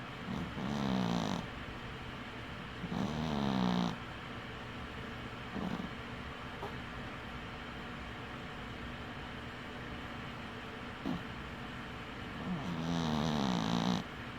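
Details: Winky the dwarf cat, dozing with one eye open, snores in low buzzy rasps. Two come close together near the start, then a long quiet stretch of faint breathing and small clicks, then one longer rattling snore at the end.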